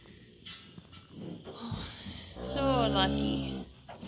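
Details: Cows and calves on a farm, heading out to summer pasture: one drawn-out, harmonic lowing moo lasting about a second near the end, with soft human speech and handling noises beforehand.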